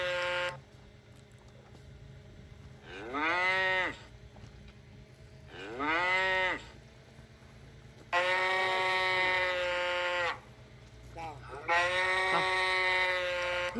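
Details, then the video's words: Cow mooing over and over: several rising-and-falling arched calls and long steady level moos follow each other every few seconds, over a faint low hum. "Tiếng con bò kêu phần 1 - sound of cow"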